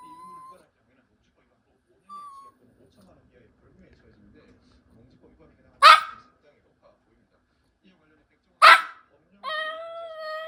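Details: A 16-year-old senior dog at home gives brief thin whines, then two sharp yelping barks a few seconds apart, ending in a drawn-out, high, tonal whimper.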